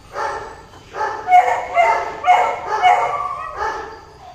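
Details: During mating a golden retriever utters loud, close whining yelps roughly twice a second, tonal and strained, with brief gaps between each cry.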